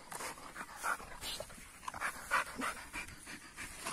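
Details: AmStaff and Kuvasz dogs during rough play, heavy rhythmic panting in quick bursts, breaths repeating about three times a second with some irregular spacing.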